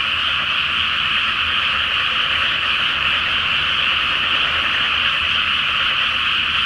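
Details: Night chorus of frogs in a water-filled paddy awaiting rice planting, full moon overhead, Japan; countless overlapping croaks merge into an unbroken, even roar that holds level for the whole stretch.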